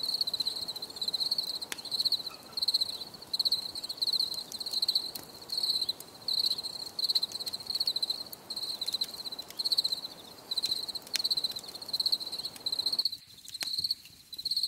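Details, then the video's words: Crickets chirping in a relaxing nature setting: a steady high-pitched trill broken into pulsed bursts roughly every second, with faint harmonics above, low background hiss and occasional clicks; the chirping briefly drops near the end. "Les grillons || Bruit de Grillons Pour la Relaxation Anti Stress"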